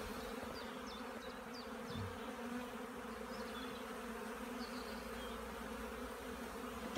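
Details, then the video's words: Many honey bees buzzing around an apiary's hives on a sunny, warming 15 April 2016 in Poland, after over a week of rainy weather. Even layered drone, with short high bird chirps above it in the first half and again later. "W końcu ładna pogoda pszczoły latają"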